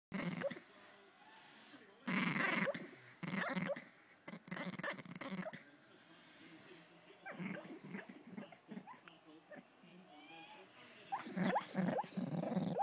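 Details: A female English Bull Terrier makes odd, squeaky, gerbil-like grunts and snuffles in short irregular bursts while asleep.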